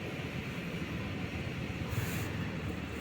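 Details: Even broadband hiss and low rumble fill the recording, with no cat or other animal voice.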